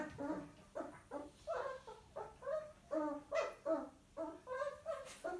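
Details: Six-week-old miniature poodle puppy, a naughty male, being disciplined by his mother indoors; a rapid run of short harmonic barks and yaps, roughly two to three per second, fairly steady throughout with little else audible.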